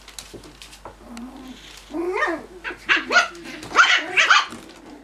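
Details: Cocker Spaniel puppies at play, giving high, rising-and-falling yips and short barks that grow louder and denser through the second half, with several overlapping sharp bursts near the end.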